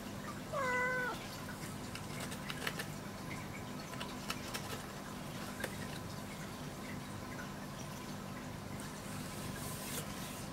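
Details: Kinako, a domestic cat, lounges comfortably under a kitchen sink while it is being cleaned, giving one short, clear meow that rises then falls near the start, followed by low room hum and a few faint clicks.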